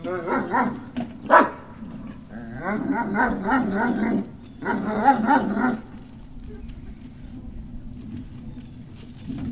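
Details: Great Dane puppies on Puppy Hill, 18 November 2018, in bouts of rapid harmonic yapping and whiny barks lasting a second or two, then fading to a low steady hum.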